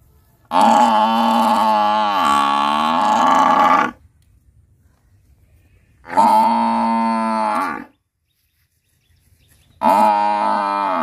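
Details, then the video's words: Buffalo calling: three long, drawn-out, harmonic lowing calls of about three, two and one-plus seconds, separated by silent gaps, the first with a wavering rise and fall in pitch midway; no other sounds heard. "Buffalo Sound"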